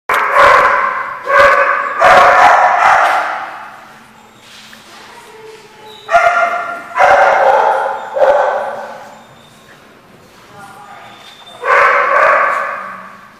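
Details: Dogs barking at a dog lot; loud deep barks come in bursts of two or three, separated by quieter gaps with fainter distant barking in the background.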